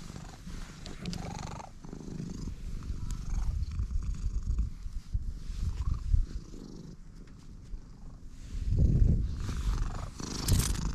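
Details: Stray cat purring right after first meeting a person: a steady low rumbling purr, pulsing rapidly, with occasional rustling and handling noises over it.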